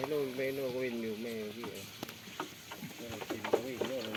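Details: Farm goats bleat while playing and eating, giving long quavering calls with a strong rapid vibrato, one lasting over a second, a pause with knocks and rustles, then another trembling bleat.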